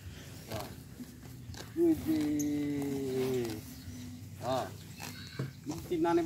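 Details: Water buffalo, approached for a photo, gives a drawn-out low moaning call with steady harmonics lasting about two seconds, with people talking in Indonesian before and after.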